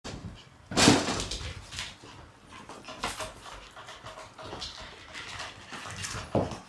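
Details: Three Shiba Inu puppy sisters, black and white, born in May, meeting March-born puppies for the first time indoors; scattered short, sharp yips and squeals, bursts of noisy play, one loud cry near the start.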